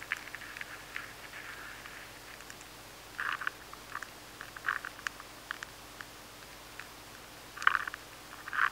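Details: High-sensitivity recording of an adult maize weevil nibbling steadily inside a stored grain of maize: soft, irregular crackling clicks over a faint hiss.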